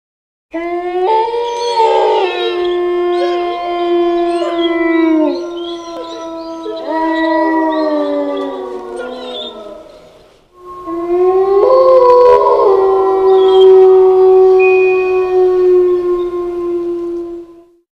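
A wolf gives two long, steady howls, each a sustained mournful tone that slowly falls away.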